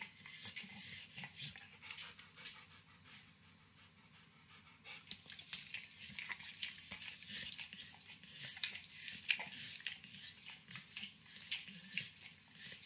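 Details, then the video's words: Max, a nine-year-old Pit Bull fond of licking, eats overcooked bacon in a kitchen. Wet tongue smacks and nibbles fade into a brief lull around the middle, then return in a lively, uneven patter. "Max Licks & Nibbles Bacon | Dog Licking Sounds"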